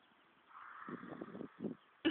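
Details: Horse called Baloo, collapsed into a deep sleep after sitting up, snoring loudly: a low, fluttering run of rapid pulses lasting under a second, then a shorter burst, with a faint hiss behind and a brief sharp noise at the end.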